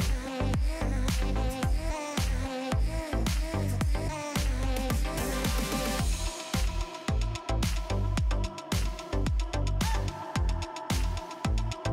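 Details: Upbeat dance-pop music with a driving bass drum and dense layered instruments throughout, with no animal voices.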